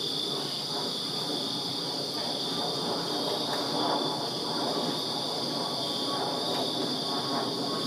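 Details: Backyard crickets on a Virginia summer night keep up an unbroken shrill high trill, layered over a rougher, lower rumbling background that swells slightly midway.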